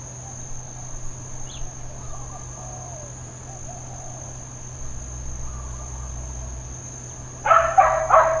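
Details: Dog barking intermittently in Hawaiian Paradise Park, Hawaii, on Labor Day, September 2, 2024: a short burst of three or four harsh, loud barks near the end, over a steady high insect buzz and a low hum.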